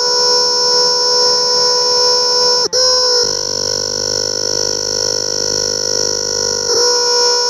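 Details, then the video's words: A cicada recorded at close range sustains an intense, steady, ringing buzz. There is one sharp break after a few seconds, then the drone carries on unbroken. "Cicada's sound closeup"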